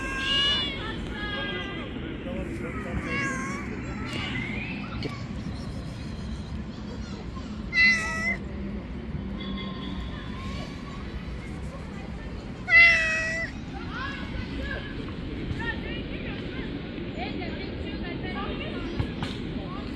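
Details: Little kittens, described as street cats, climb onto a person's lap and give short, high, wavering mews, a few scattered across twenty seconds, two louder ones standing out, over a steady low rumble of background noise and faint voices.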